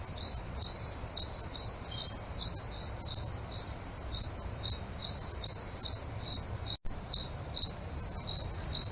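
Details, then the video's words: A cricket calls at night with crisp high-pitched chirps repeating about two and a half times per second, one short click-like break partway through, over quiet low background noise. "Nature Sounds Crickets Nature Night Dream"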